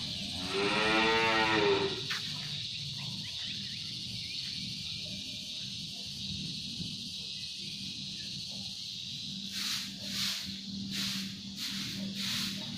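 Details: Sapi londo cattle fitted with shoes, hauling a traditional pegon cart still in active use; one sustained, deep, harmonic moo near the start, then steady background hum and a few sharp knocks toward the end.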